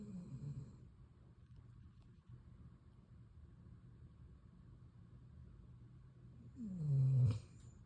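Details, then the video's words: Female pet dog asleep on a couch beside its owner during TV time, snoring loudly. A low snore opens, then a long quiet stretch of breathing and hum, then one loud, deep, sliding snort-snore near the end. "Epic Dog Snores"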